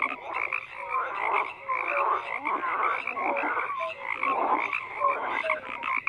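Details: Overlapping frog calls fill the clip, a busy croaking chorus of grating trills and short piping notes, some gliding upward, repeated irregularly by numerous callers.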